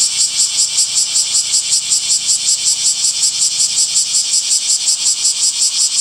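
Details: Cicadas singing on a summer day among trees, their high buzzing chopped into a steady pulsing rhythm of roughly three throbs per second throughout.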